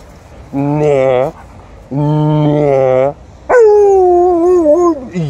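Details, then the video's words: Impatient Alaskan Malamute, waiting for its owner and a Golden Retriever, gives two flat, harmonic-rich drawn-out whines. A higher wavering howl-like vocalisation follows that rises sharply and then sags, as if telling them to hurry up. "Patient Alaskan Malamute waits for mum and Golden Retriever, but tells them to hurry up"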